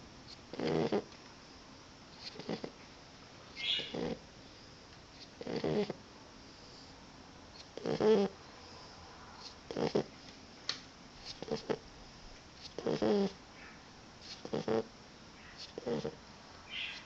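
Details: Sleeping Boxer puppy Roxie taking an afternoon nap: rough, rasping snores recur every one to two seconds, uneven in strength, with short breathy sounds in between and a calm indoor background.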